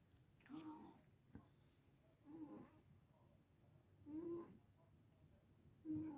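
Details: Warm, deeply asleep Sphynx cat snoring loudly indoors: soft rasping breaths with a low droning hum, repeating steadily about every two seconds and growing slightly louder toward the end.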